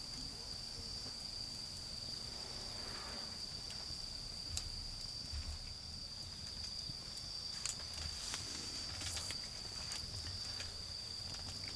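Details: Autumn insects keep up a constant high-pitched ringing note in a garden as a bonfire burns down, with occasional crackling pops and soft low background noise.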